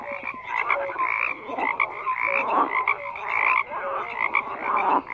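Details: Dense croaking from numerous frogs, grating pulsed calls in rhythmic bursts about every second, with brief clear notes riding above the chorus.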